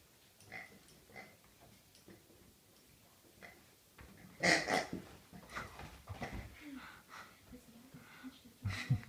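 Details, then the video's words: Birthday Rhodesian Ridgeback grunting like a pig: soft scattered snuffles at first, then a loud rasping snort near four and a half seconds followed by a run of rough grunts and low rumbling breaths. "Geburtsagsschwein :-) (Rhodesian Ridgeback)"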